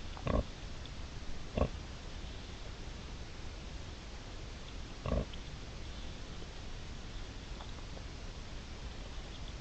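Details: Wild boar mother and three piglets, 5 September 2020: three short, sharp grunts spaced a few seconds apart, the first two close together, then long quiet stretches of steady background hiss.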